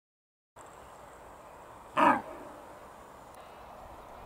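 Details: A red deer hind in Bristol, England, on 21 September 2015, gives a single harsh, gruff grunt-bark, surprised by a person filming and warning her companions.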